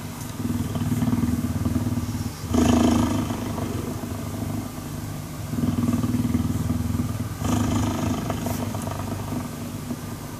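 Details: Cuddling cheetah giving a low, buzzing purr in uneven pulses, with one louder surge near the middle and a rough, engine-like rumble underneath.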